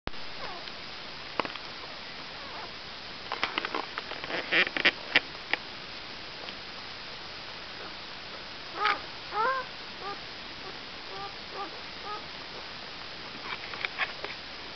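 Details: Two-day-old Irish Setter puppies, from the litter called Jess Pups: a few short, rising squeaks and whines in the second half, with sniffing and soft rustling earlier in a quiet indoor setting.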